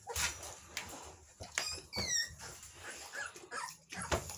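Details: Three-week-old American Bully puppies, blue fawn classic type, indoors; thin high whimpers and squeaks come in short bursts, with rustling and shuffling around them.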